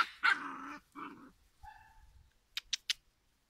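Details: A giant schnauzer puppy, five weeks old, gives a hoarse harmonic bark with a shorter follow-up and a thin tonal whine. Three sharp clicking taps follow.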